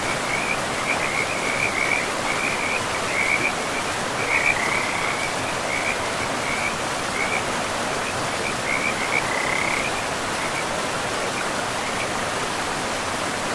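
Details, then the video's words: Frogs calling beside a river in a pristine forest with moss-covered land: rapid trilled croaks in short, uneven bursts, high and narrow, over a steady broad rush of flowing water. "River and Frogs sleep sounds"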